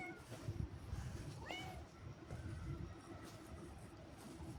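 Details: Cat walking outside with a companion, uttering a brief upward-sliding meow early on, with fainter mews before and after over heavy low-pitched background noise.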